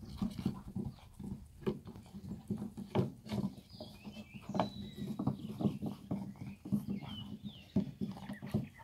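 A Basset Hound gives deep, rough barks and baying sounds in quick repeated bursts.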